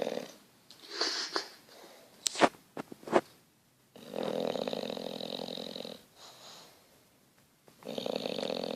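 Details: English Bulldog named Petruchio snoring while asleep indoors: rough, buzzy wheezing breaths in long bursts of about two seconds, separated by quiet pauses, with a few sharp knocks early on.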